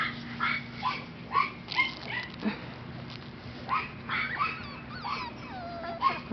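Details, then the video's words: A litter of 5-week-old Mini Australian Shepherd puppies whimpers in short, thin, wavering squeals, with some longer sliding whines near the end. The cries are scattered irregularly over a constant low background hum. "MIni/Toy Australian Shepherd puppies"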